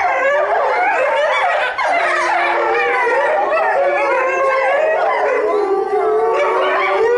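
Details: Chinese wolves at Tennoji Zoo, recorded 23 February 2013, howling together in a dense chorus of overlapping wavering, sliding voices, some rising and falling, sustained without pause across the whole stretch.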